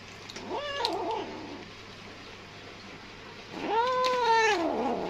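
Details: Kitten feeding quickly and greedily from hunger gives a brief wavering mew, then after a pause a long, loud, level meow that falls away at the end, with a faint electrical hum beneath.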